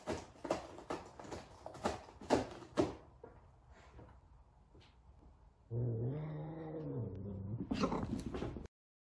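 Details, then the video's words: An F2 Savannah cat, large and afraid of a small kitten during their first meeting, lets out a two-second moaning wail with a bending pitch, after a run of sharp knocks and thumps in a room. "F2 Savannah Cat Frightened of Little Kitten"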